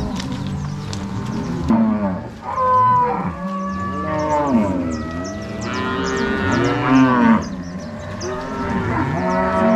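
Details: Angus-Nelore crossbred cow herd moved from corral to pasture by three cowboys and six dogs, Ortigueira, Paraná, Brazil, March 16, 2022; many cattle lowing continuously, long bending moos overlapping, with some higher bellows in the middle.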